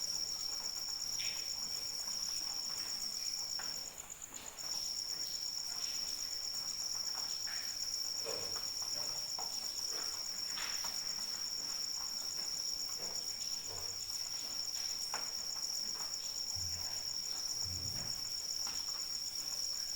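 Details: Cricket trilling in rain, a high continuous note that breaks off briefly near four seconds then resumes, over soft rain patter, dripping and a few low thumps.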